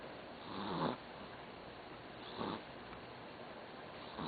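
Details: Doudou the dog snoring while asleep: soft, breathy rasping snores swelling and fading, two clear breaths roughly one and a half seconds apart over a quiet background hiss.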